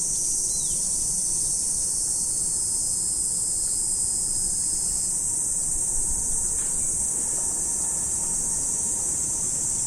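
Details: Morning in autumn, with a massed insect chorus ringing as a continuous high shimmer and a faint thin steady tone in the background.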